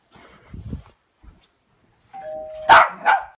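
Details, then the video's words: A white dog on a blue leash, pulled around a room, barks as the doorbell rings: a two-tone chime is followed right away by two sharp, loud barks close together. Soft low thumps are heard before. "white dog being dragged around room by blue leashe and barks when doorbell rings"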